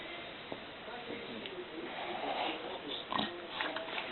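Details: An exhausted English Bulldog sleeps on a full stomach and snores in rough, rasping snorts, with wet, gurgling breaths between them.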